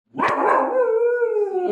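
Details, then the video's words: Pet dog calling out at nobody while a woman's voice speaks in Bengali. One loud, drawn-out, tonal yelp-howl with clear stacked overtones lasts over a second and a half, steady then slightly falling. "ফফরা ঠেকির আওয়াজ বেশী 😁🤣😁🐕🐕🐕এমনি এমনি চিল্লার🐕"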